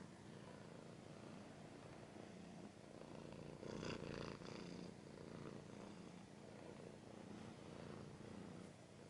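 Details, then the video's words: Domestic cat's low rumbling purr, steady and rhythmic, interrupted near the middle by a short burst of scratching and rustling before the purr continues evenly. "Cat's purring / scratching / kinda ASMR"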